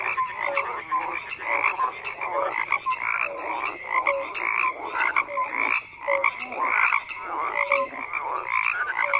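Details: Crowded frog chorus with harsh, overlapping croaks and sharp whistled blips recurring irregularly, the loudness rising and dipping as callers alternate.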